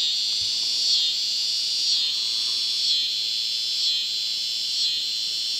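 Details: A cicada's steady, high-pitched buzz, swelling slightly about once every second; in southern Missouri, where cicadas make this sound constantly for weeks at a time.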